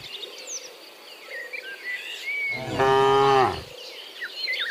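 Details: Cow mooing in the morning while returning from the field to the barn: one loud, harmonic moo lasting about a second, with the pitch sliding slightly downward, over a background of chirping birds.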